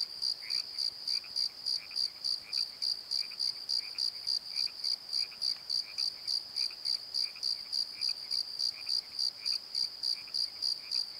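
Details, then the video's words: Crickets calling at night from a valley bottom at Pozo, filmed on a Nikon D7100: a steady high shrill pulse, about three and a half per second, with a lower paired chirp repeating throughout in the background. "Crickets and Croaks! Pozo Night Tree"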